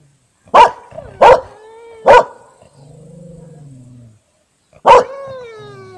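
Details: Siberian Husky with a yard-keeper dog, both trying to bark, Panoterai, Jonava district, Lithuania, 15 August 2018, 20:14. Four sharp, explosive barks, with long drawn-out tonal whining notes between them.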